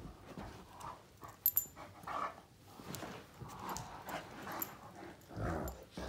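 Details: Great Danes Finn and Magic, two males, play-fighting with their mouths indoors; breathy huffs and short low grumbling growls in bursts, with scuffling and a few sharp knocks.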